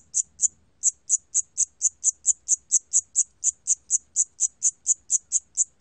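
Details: Siamese cricket recorded in 2020 by the National Institute of Biological Resources: two chirps, a brief pause, then a run of about twenty crisp, high-pitched pulses at a steady, rapid rhythm.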